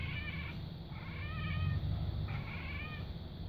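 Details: Domestic cat mimicking a bird on the roof, giving three bursts of quick, rippling, bird-like chirps over a steady low background hum.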